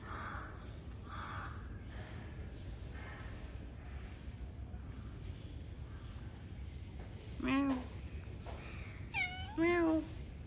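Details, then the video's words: Cat meowing near the end: after a steady background hum, three arching, tonal meows rise and fall, the clearest around seven and a half seconds and two more close together near ten seconds; music is heard nearby. "বিড়াল আমার খুব পছন্দের একটা প্রাণী দেখুন ওরা কি করে"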